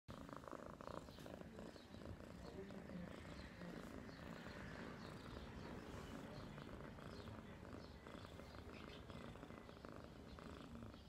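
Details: Domestic cat purring in a steady, low, rumbling drone that continues without a break for about eleven seconds, with faint soft noises above it.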